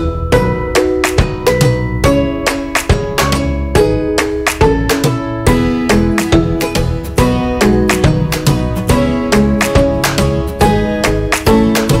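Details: Strummed acoustic guitar in a flamenco style plays steadily throughout, with no animal sound.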